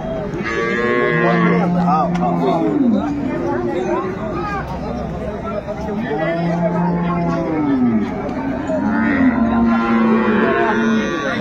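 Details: Cattle at Ambari market in Dinajpur, where improved-breed milk cows and calves are traded, 10/2/25. Drawn-out arching moos rise and fall about every three to four seconds, over steady human talk and market bustle.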